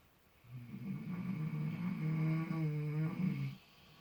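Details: Two miniature potbellied pigs sleeping in fresh straw, totally relaxed and apparently dreaming; one long low, droning snore lasting about three seconds, rumbling with a buzzy vibrating texture.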